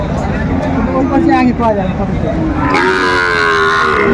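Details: Low, sustained bellow from cattle at a Chattogram market in Bangladesh, where a Sahiwal bull calf was bought, 7 December 2024. The bellow starts midway and carries on evenly to the end, with voices and market hubbub beneath.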